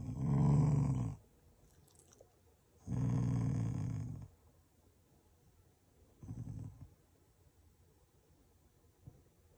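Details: Shiba Inu, a family pet, growling affectionately rather than in anger at its owners; three low rumbling growls, the first two long and loud, the third short and softer, with quiet pauses between.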